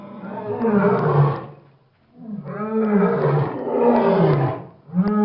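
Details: Lion giving deep, rough roars in two long swelling bursts with a pause between, the low voice sliding and wavering, then a short loud onset at the end.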